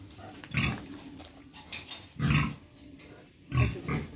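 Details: Alabai, the Central Asian Shepherd dog named Arad, giving three deep, rough low growls or grunts, each about half a second long and spaced about 1.5 seconds apart.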